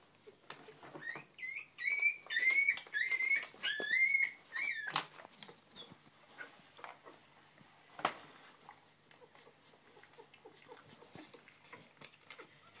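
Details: English Springer Spaniel puppies taking their first steps indoors; a burst of high, arching whimpers and squeaks around two kilohertz fills the first five seconds, then only faint shuffling and a single knock.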